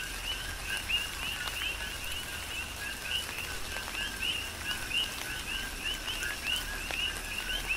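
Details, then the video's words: Many coqui frogs call together through a tropical rainfall on the Big Island, Hawaii; quick rising two-part chirps follow one another rapidly beneath a steady wash of rain and sharp drip sounds. "Tropical Rain & Coqui"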